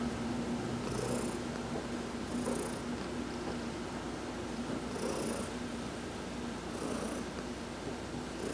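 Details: During a sunbath massage on November 19, 2020, the cat Heidi purrs in an even, low, throbbing drone, while short faint high-pitched bursts return roughly every two seconds.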